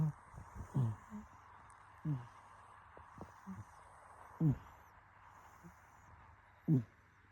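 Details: Sleeping cat snoring: low, rough, grunting breaths below a few hundred pitch-levels, recurring roughly every two seconds with some irregular gaps, over a steady low hum.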